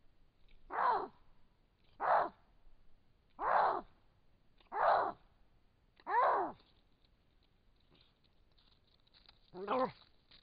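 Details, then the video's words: A wild Canada lynx gives short, harsh, yowling calls, repeated roughly every one to two seconds. "Canada lynx vocalizing in the wild"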